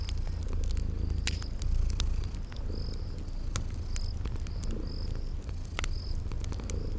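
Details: Low, soft purring of sleeping cats beside a crackling fireplace; high drawn-out chirps of about half a second sound every second or so, with scattered sharp pops from the fire.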